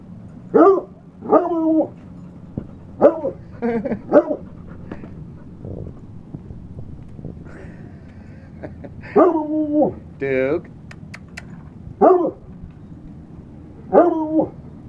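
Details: Dogs named Yogi, Echo and Duke barking, loud harmonic barks in short bursts of two or three spaced across the recording, with a whimpering note near the middle and quiet background between bursts.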